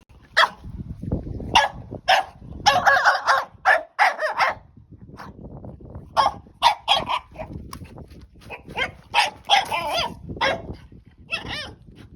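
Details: Margo, a French Bulldog puppy, plays with her new stick and gets carried away, letting out bursts of short yappy barks and growly vocal noises, some in quick clusters, with gaps of chewing and scuffling between.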